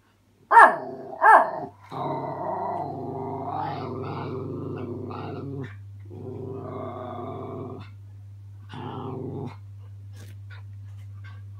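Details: Miniature Schnauzer puppy, male, practising growling at his own reflection in a mirror; two short sharp yips open, then long rumbling growls with harmonic layers, broken by brief pauses, over a steady low hum.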